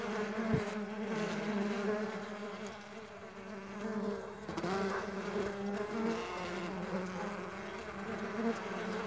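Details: Farmed stingless bees buzzing together, a thick low hum rising and dipping as individual bees pass close, with a sharp tap near the start and a brief rustle midway.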